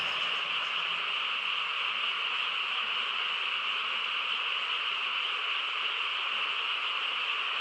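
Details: A countryside night chorus of frogs, quiet apart from them: countless calls blending into one constant, shimmering high drone that holds steady without gaps from start to finish.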